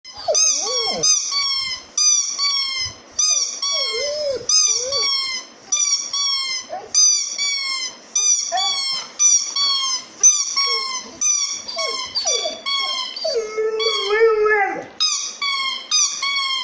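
A Golden Retriever howls in high, wavering, siren-like tones, repeated in short bursts about once a second.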